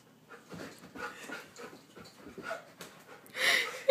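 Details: A Goldendoodle, frightened of a small guinea pig indoors, panting fast with thin whimpers roughly every half second, ending in a louder whine; a woman laughs and talks nearby.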